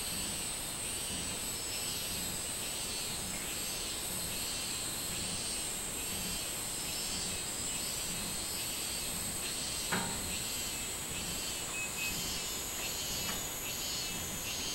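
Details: Minmin cicada calling on 24 July 2016: rhythmic, pulsing buzzy phrases rise and fall over a steady high hiss of other insects, with a brief sharp click near the tenth second.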